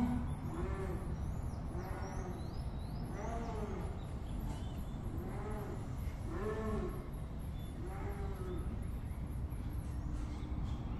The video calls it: Esturro da onça pintada - Onça rugindo - rugido da onça